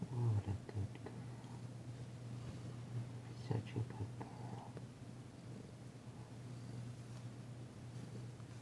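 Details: Danci, a tentative female pet cat, purring while being massaged on February 9, 2022, the first purr heard since her arrival; a low continuous rumbling purr, with a few louder rustles and handling thumps near the start.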